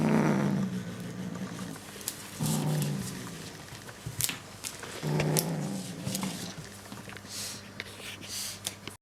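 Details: Bengal kitten guarding its prey toy, insistently refusing to let go; low rumbling growls in drawn-out bursts near the start, around 2.5 seconds and again around 5 seconds, with rustling and clicking handling noises indoors.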